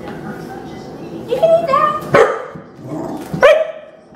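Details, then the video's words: Female Rottweiler puppy, angry after being given dry kibble again instead of canned food, protests with short yelping whines and grumbly vocal bursts in a home, interspersed with a person talking. "Puppy Angry About Dry Food"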